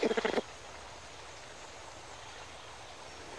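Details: In Madagascar's cloud forest, a greater bamboo lemur mother with her two-week-old baby gives a quick burst of pulsed, harmonic calls, then goes quiet; such calls warn other lemurs not to come close to her bamboo.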